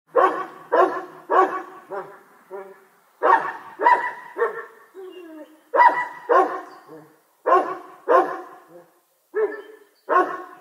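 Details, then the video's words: Dog barking in the distance: harsh, ringing barks in quick pairs and triples, about sixteen in all, with short pauses between bursts and some echo. "Dog barking Sound Distance"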